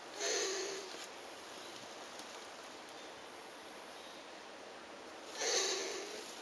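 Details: Elongated tortoise during mating after a week of courtship: two breathy, hissing wheezes about five seconds apart, each with faint high tonal squeaks. A steady hiss fills the gap between them.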